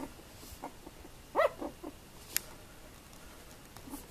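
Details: Tibetan terrier bitch, born 2 November 2015: scattered faint whimpers broken by one brief, bright yelp around one and a half seconds, then a few soft squeaks and a quiet background.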